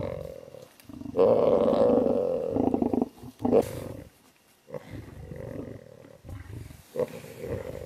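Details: Tiger on a road in the wild, delivering loud, rasping roars that swell and fade in uneven bouts, with quieter grumbling calls between the stronger ones.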